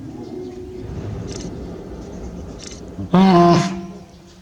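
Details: One-year-old hippopotamus calf Manpuku at Tobe Zoo, Japan, 20 April 2022, answering his mother Mimi's call with a clumsy, immature 'pū'. A single short, loud, nasal honk lasting about half a second breaks a quiet, low background.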